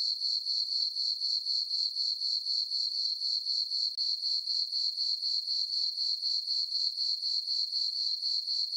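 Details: A peaceful summer night on a farm meadow under a full moon: crickets give an unbroken, high, metallic chirping, steady pulses near four per second, evenly loud, nothing else heard.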